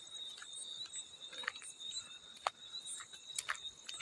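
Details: Field cricket giving a steady, thin, high-pitched trill that runs unbroken through the whole stretch, with a fainter higher band above it; sharp drips and water splashes break in now and then.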